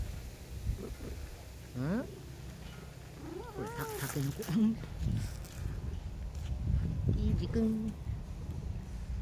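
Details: A stray tabby cat known for "talking" purrs in a low, steady rumble, broken by a few short, rising, chirpy meows, while a person talks nearby.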